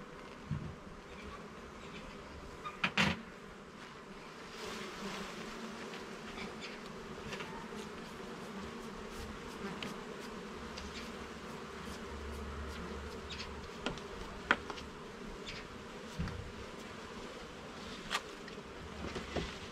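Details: Honey bees buzzing as a garden hive's levels and frames are checked, a constant mellow drone running throughout, punctuated by a cluster of sharp clicks near three seconds and scattered light taps later.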